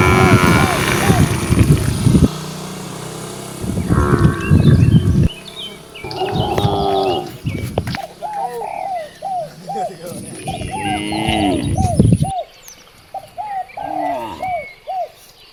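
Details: Free-roaming cows, part of a herd of dozens out in nature, lowing in four deep moos of varying length, then a run of quick repeated bird chirps after the cattle fall quiet.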